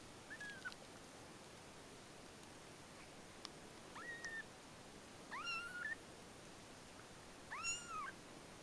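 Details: White cat Mila giving birth to kittens, letting out four drawn-out meows that rise and fall in clear harmonic arcs, spaced a few seconds apart and growing longer and louder toward the end, in a quiet indoor setting.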